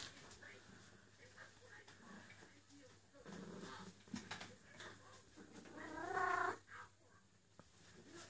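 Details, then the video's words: Eule, a female cat in heat, calls for a mate while rubbing knots into her neck fur; one loud, drawn-out, wavering harmonic cry near the end, amid soft rustling and low indoor noise. "Eule calling for a boyfriend"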